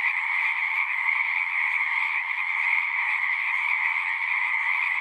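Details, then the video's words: Many frogs singing together in a dense, unbroken chorus, a steady wall of overlapping trills with a bright high band over a lower hum, holding an even loudness with no pauses. "One hour of singing frogs."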